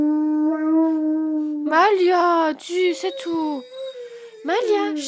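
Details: Female Great Dane Malia left behind when her owner goes out: a steady sustained howl held for nearly two seconds, then broken wavering cries, in a small room with a soothing woman's voice in French.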